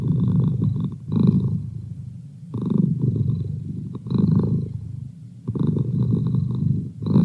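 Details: Deep, rhythmic purr from Merlin, a house cat: rumbling phases that swell, pause briefly and resume at a slow, steady breathing pace, with no other sounds in a quiet room.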